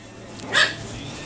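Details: Male pug puppy; one short, sharp high yip lasting a fraction of a second against a steady background hum, with brief Italian speech nearby.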